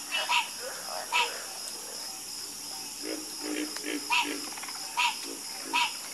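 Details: Frog chorus with a near frog giving a crisp croak roughly every second, fainter frogs answering with softer low croaks in between, all over a steady high-pitched background whine.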